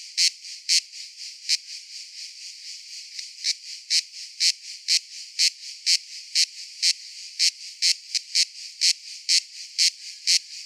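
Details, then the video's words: Cicada song: a steady high buzz with sharp, louder pulses standing out roughly twice a second, evenly repeated throughout, with no other sounds. "Cicada Sounds - Cicada Sound Effect"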